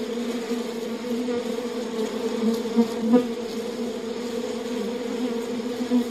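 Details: Continuous hum of many honey bees in their hive, a thick buzzing chorus with two low droning bands and brief louder passes of single bees near the third second.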